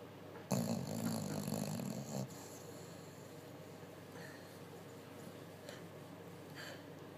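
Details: Betty the bulldog asleep after a busy day, one loud rasping snore lasting nearly two seconds, low and rough with a whistling overtone, then quiet room tone with faint rustles.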